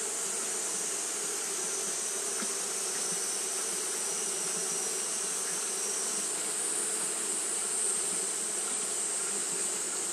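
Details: Constant fanning by Japanese honey bees in hot weather gives a thick, even buzzing hum. A high, steady whine above it shifts slightly in pitch partway through.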